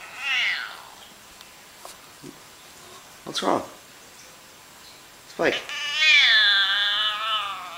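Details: Pet cat giving odd vocalisations as a person chats with it: one short meow near the start, brief spoken words, then a long, loud, wavering meow over the last two seconds.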